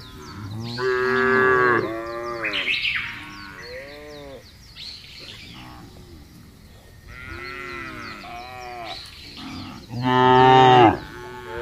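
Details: Thousands of cattle driven together across a wide grassy plain: a chorus of overlapping moos and bellows from many animals, rising and falling, the loudest near the end, with scattered bird chirps throughout.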